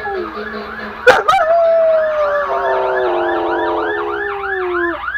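A German Shepherd gives a long, drawn-out howl that slowly sinks in pitch while a siren wails behind.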